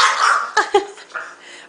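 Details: Marshall the pet dog lets out a fading whine followed by two quick, sharp yips about a fifth of a second apart, then a softer grumble, as a woman says he looks cute.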